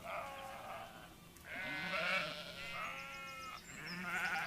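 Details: Near-continuous sheep bleats, overlapping and wavering, forming rough baa calls that rise and fall across a few seconds. Small bird chirps can be heard faintly above them.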